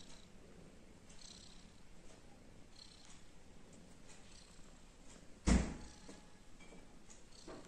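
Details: Domestic kittens with their mother, giving a continuous low purr that hums steadily, broken once by a sharp loud knock or bump around five and a half seconds.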